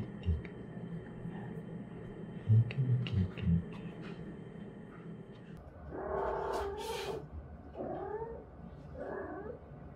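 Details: Cat that came into a yard and refuses to leave, after crying for about an hour; a low rumble for six seconds, then three drawn-out, wavering wails, each about a second long, with a harmonic, nasal tone.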